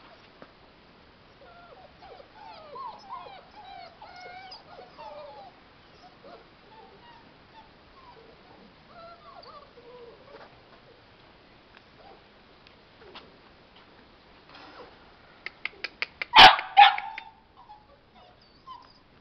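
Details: Forty-five-day-old puppies whimpering: a string of short, rising-then-falling whines fills the first ten seconds, then a quieter stretch, then a sudden loud burst of yips and squeals near the end before softer whines return.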